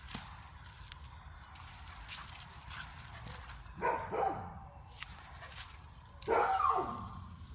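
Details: Golden Retriever puppies giving two brief, falling, high yelps a couple of seconds apart over quiet indoor background noise with small clicks.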